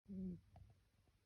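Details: A sleeping Pembroke Welsh Corgi puppy gives a single low, humming snore that fades quickly.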